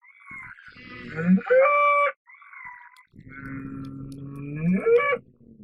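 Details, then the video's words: Bull bellowing, described as a deep, resonant, authentic farm sound: two drawn-out harmonic bellows, each swelling and rising in pitch before breaking off, separated by a short pause. "SOM DE TOURO"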